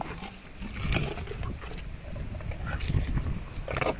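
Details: An elephant named Meri chews sugarcane: crunching, cracking bites and low rumbling chewing noises, with scattered snaps as the stalks break, recorded close up outdoors.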